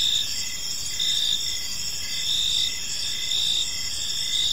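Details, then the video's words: Evening crickets in a peaceful park, several high insect trills overlapping in a constant shimmering chorus, short pulses repeating about once per second over low ambient hiss. "Park Serenade: Cricket Sounds in a Peaceful Park | Evening Ambience"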